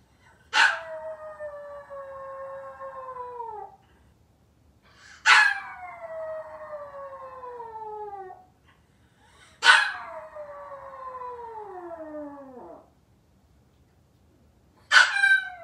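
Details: Maltese puppy left alone at home, waiting for the family to come back, howling: three long drawn-out howls, each opening with a sharp yelp and then sliding steadily downward, separated by short silences.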